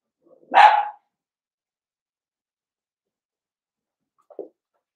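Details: Single sharp bark from a blenheim Cavalier King Charles Spaniel puppy, one of five seven-week-old littermates in an indoor puppy pen, followed by a faint short yip about four seconds later in an otherwise silent room.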